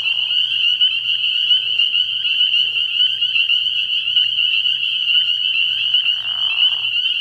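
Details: Spring peepers massed at a frog pond on an early-spring night, their piercing high peeps blending into one continuous shrill ringing, with a short lower buzzy smear near six seconds and a soft steady low hum beneath.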